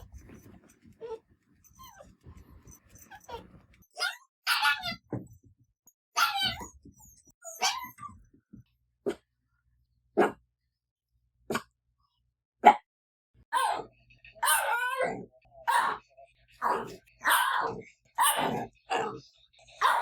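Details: Quiet male pet dog that rarely barks, making lonely-sounding cries when stirred by other dogs or noises: soft scattered whimpers building into a run of short yipping whines, repeated roughly every second toward the end.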